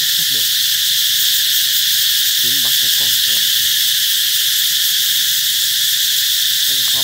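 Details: Cicadas singing to announce that summer is coming: a loud, steady, shrill buzzing hiss that fills the high range without pause, with a few brief lower harmonic calls around the second and seventh seconds.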